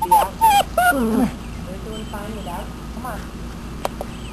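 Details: Two Great Dane puppies, four weeks old, playing outside for the first time; a few high whining yelps in the first second and a half, then softer squeaky whimpers, with a person speaking.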